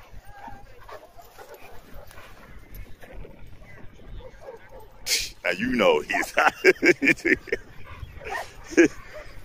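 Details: Shaka, an eight-month-old Boerboel, gives a burst of loud, harmonic barks in quick succession during the final four seconds. Several come about every half second, after a stretch of quiet background talk and handling noise.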